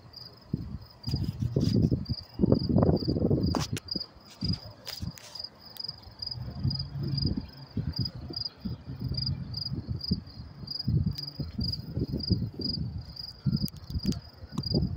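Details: Night crickets in New York City at about 10:30 p.m. on May 28, 2024, giving a steady run of high, evenly spaced chirps, roughly two per second, over a continuous low hum of traffic and distant talking.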